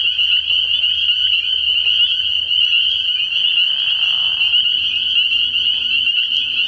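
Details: Spring peepers in full chorus at night by a frog pond early in the year, a steady, shrill ringing of overlapping high peeps, interrupted partway by a short lower raspy sound, with faint low rumbling below.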